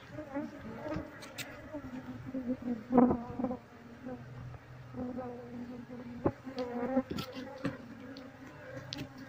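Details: Honey bee colony being relocated into a cardboard box as the queen is sought; dense buzzing hum with stacked overtones, wavering loudness and scattered tapping sounds.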